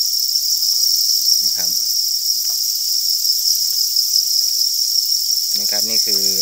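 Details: Crickets raised on a cricket farm produce a continuous shrill, high-pitched trilling without pause, and brief bursts of human speech come in twice over the steady insect chorus.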